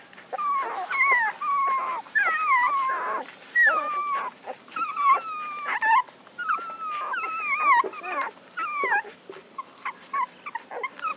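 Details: A near-continuous chorus of puppy whimpers: high, looping whines rising and dropping, one after another for the whole stretch, with small knocks and rustles beneath.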